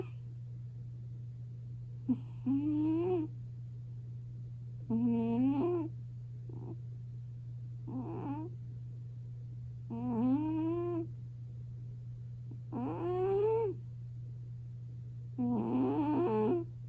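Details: Chubby, short-legged female British Shorthair cat, Cocoa, five years old, asleep on a warm kotatsu in a quiet room, snoring loudly: voiced, whiny, rising snores of about a second each, repeated every two to three seconds, over a steady low electrical hum.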